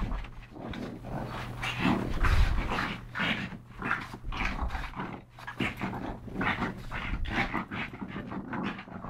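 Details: Pug brothers Yogi and Mister, rescued in Malta after long caging, wrestle playfully; steady rhythmic panting bursts and nasal snorts fill the stretch, with occasional low thuds.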